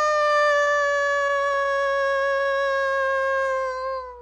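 A wolf gives a long, steady howl that holds one pitch and sags slightly at the end.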